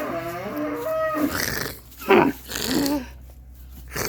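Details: Camel giving a deep, harmonic moaning call that wavers in pitch over the first second, followed by rougher, breathy grunting bursts.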